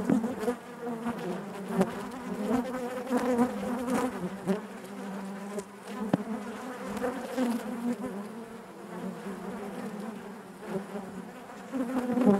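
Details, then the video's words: Crowded honey bee hive heard from within: an unbroken, thick buzzing drone with shifting overtones, periodic swells, and scattered sharp ticks from bees moving about. "bees therapy hive natural buzzing sound"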